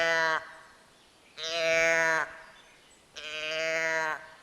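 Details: A deer at night gives three drawn-out, cowlike moos, each about a second long, steady and nasal with a flat pitch, spaced a second or so apart.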